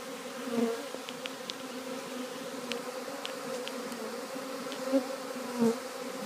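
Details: Swarm of honey bees entering a new hive on 3/7/2013 fills the air with a continuous droning buzz, slight swells in loudness as single bees pass close, plus scattered faint ticks.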